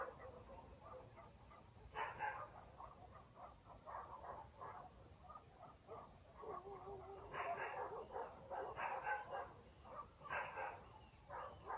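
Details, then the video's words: Dogs barking at night in a countryside village, heard from a distance: bursts of rough, overlapping barks in quick irregular runs, loudest around the middle and end, over a soft steady hiss and a faint high insect-like buzz. "barking dogs in the village"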